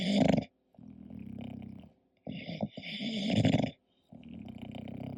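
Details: Sleeping English Bulldog giving a run of deep rattling snores, each lasting one to one and a half seconds and separated by short silent gaps, some with a growly edge.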